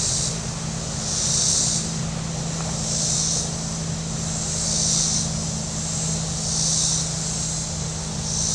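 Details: Cicadas on the shore of Table Rock Lake in southern Missouri on a very warm Saturday: a high, hissing buzz that swells and fades about every 1.7 seconds over a steady low drone of boat engines.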